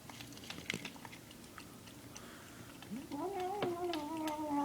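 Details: Domestic cat making weird noises while eating its food: soft chewing and clicks, then a drawn-out moaning tone that rises and holds, wavering steadily to the end.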